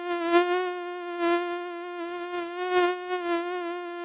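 A mosquito's thin, high whine holds a steady pitch with a rich buzzy edge.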